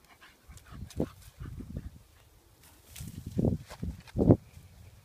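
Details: A female Staffordshire Bull Terrier, out in the wild with a Jack Russell terrier companion, gives short, low grumbling vocalizations in irregular bursts.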